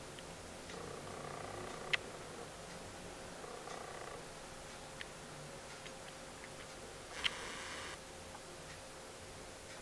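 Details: A black cat purring: a soft rumbling purr rises in several bursts of about a second each, over a steady faint hum, with a couple of sharp clicks.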